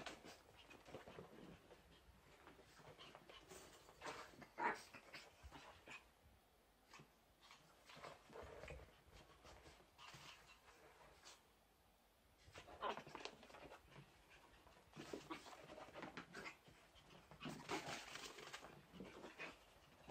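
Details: Young Chihuahuas Nezumi, seven months, and Pontus, about four months, at play indoors; rapid panting and soft whimpering come in clustered bursts separated by quieter scuffling pauses.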